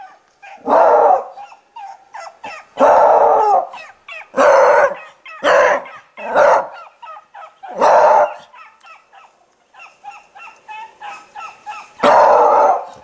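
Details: Toby the Beagle gives loud, full barks spaced about every one to two seconds, with softer, shorter yelping barks in the gaps between them.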